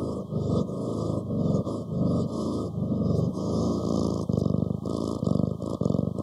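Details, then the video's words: Pet cat rumbling in a deep, buzzy purr, uneven breath pulses swelling and fading throughout, no other sounds. "고양이 골골송 11시간 / ASMR Cat purring"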